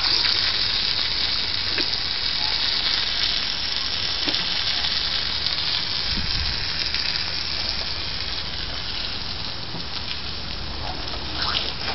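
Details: Continuous hissing spray of water from a hose with occasional clicks and knocks, no animal voice heard.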